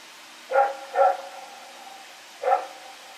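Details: Dog named Rex barking while running around at night, Pyrga, 21 September 2018: a pair of quick barks followed by a third after a short pause, each bright and ringing, with a steady faint hum behind.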